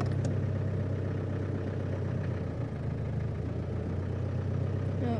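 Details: A vehicle engine idles with a steady low rumble while people talk faintly, and no animal can be heard.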